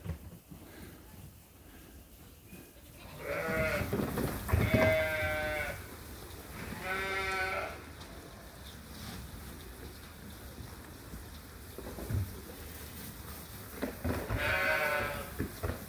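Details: Flock of farmed sheep and lambs at feeding time; a cluster of overlapping quavering bleats in the first seconds, then quieter stretches with shuffling noise before another tremulous bleat near the end.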